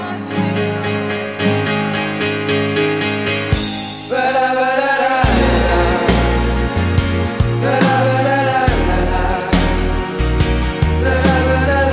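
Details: A sung song with a strong beat and full band fills the whole stretch, with no animal sound heard.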